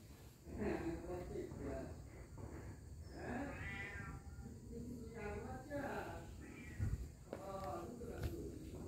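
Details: Domestic cat giving a series of wavering, plaintive meows, several in a row with short gaps, some stretched into a caterwauling tone, while a person talks in Bengali over low background hum.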